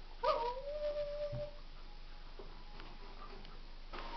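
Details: A pet dog whines in a long, drawn-out, slightly wavering tone for about a second, then falls quiet, leaving faint low background hum and a few soft clicks.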